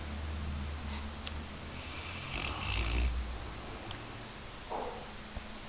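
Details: Labrador Retriever dozing and snoring, a deep, rattling low drone that swells into one louder snort-like breath midway, with faint household clicks in a quiet room.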